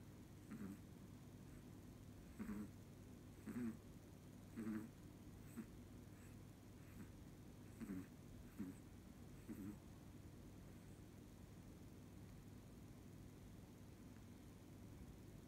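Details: A sleeping Chihuahua snoring in a human-like way: soft, faint snorts come in short bursts, roughly every one to two seconds for about ten seconds, then fade into quiet room hiss.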